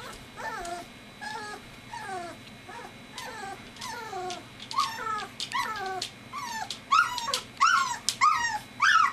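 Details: Three-week-old golden retriever puppies of Gretchen whimpering: a run of high, thin whines that slide downward with stacked harmonics, about one and a half per second, growing louder and overlapping toward the end.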